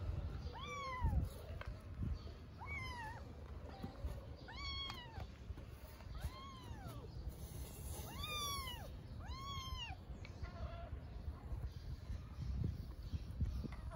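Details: Stray mother cat in Istanbul cleaning and licking her kittens. Repeated thin arched mews, about every one to two seconds, each rising then falling, with bright harmonics, against a constant low hum.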